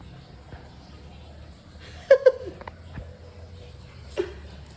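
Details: Shih Tzu dogs at home as a new Shih Tzu puppy meets the resident pair Sandy and Shasha; two quick sharp yaps close together, then a single yap near the end, with a woman's voice calling the dogs.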